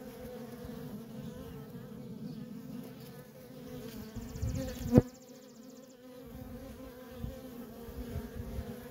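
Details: Continuous droning of worker honey bees coming and going at a feral colony. The low hum swells, a single sharp knock sounds near the middle, and the buzz then dips briefly before resuming.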